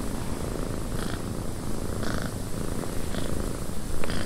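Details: Domestic cat purring indoors in a windy cabin: a steady, low, rumbling purr throughout, with a few brief soft clicks and a gentle airy background hiss.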